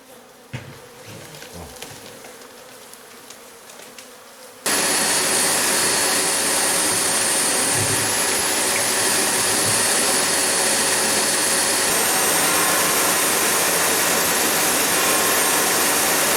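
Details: Honey bee colony long established in a house roof behind the insulation, exposed as the plasterboard is cut open during a colony rescue; quiet handling noises at first, then a sudden loud, dense, continuous buzzing hum that fills the rest.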